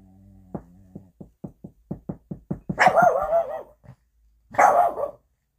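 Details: A Boston Terrier, woken from sleep by a run of quick knocks at a door, springs up on guard and gives harsh, rough alert barks while investigating.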